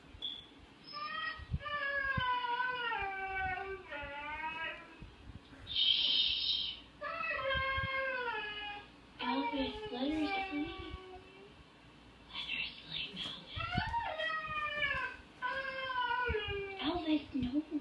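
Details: A Siberian Husky watching other huskies on TV gives drawn-out, wavering howls and yodel-like moans, rising then sliding down in pitch.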